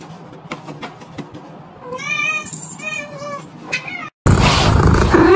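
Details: Pet cat giving a few drawn-out, wavering meows with rich harmonics, preceded by scattered clicks and taps, then cut off by a sudden burst of loud broadband noise.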